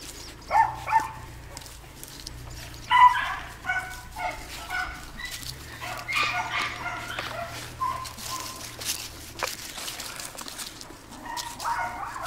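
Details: Two-and-a-half-year-old Jack Russell Terrier making scattered short, high-pitched yips and whining barks, clustered near the start and again around three seconds, then sparser and quieter, with low background hum and soft rustling.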